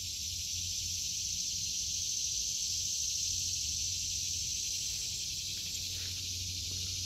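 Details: High, unbroken cicada buzz fills a vegetable garden in August 2023, a flat continuous whine with no gaps, a quiet low hum underneath.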